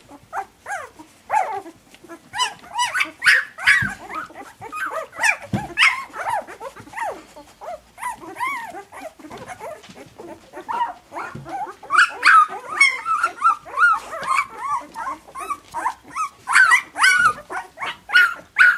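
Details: A litter of week-two puppies keeps up a long stretch of squeaky yips and high wavering whines, overlapping and irregular, swelling louder in the second half as several pups call at once.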